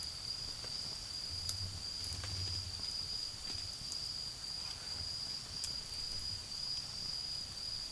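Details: Continuous high-pitched trilling of autumn insects near a garden bonfire, level and unvarying, broken by snapping crackles of burning wood and a faint low drone of faraway traffic.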